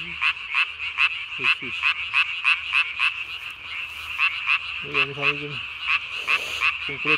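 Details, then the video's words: Night-calling tree frog, recorded 3 May 2020, inflating its throat vocal sac to the size of its body; rapid raspy pulses repeated about three times a second over a buzzing chorus, with brief lower harmonic calls at intervals. "밤에 우는 청개구리 울음판이 몸통 만큼 크네요? #청개구리 #울음소리 들어보세요"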